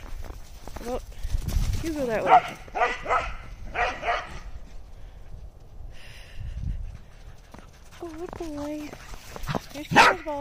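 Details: Corgis bark in short, sharp bursts, with brief whiny tones and human voices in between, while chasing thrown balls in snow.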